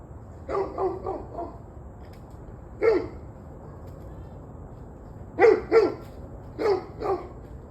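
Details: Quick runs of dog barks: a fast string of four at the start, a lone bark, then paired barks repeated, all mid-pitched and harsh over a low steady hum.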